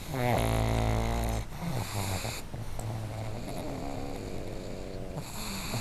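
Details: Two pugs kept together in one home snore loudly in sync. Deep, rumbling low snores open the clip, then softer rasping breaths follow in an uneven rhythm, about four per second.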